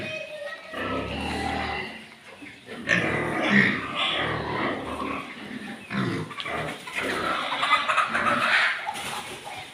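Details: Landrace and Duroc breeding pigs on a farm make rough, rapid grunting and squealing, rising and falling in uneven bursts, with some talking mixed in.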